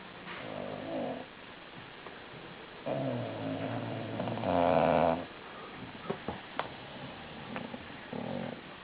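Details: A female bulldog snoring loudly while asleep: rough, low rasping breaths in long drawn-out pulls, the loudest around the middle, with quieter snuffles and faint clicks between breaths.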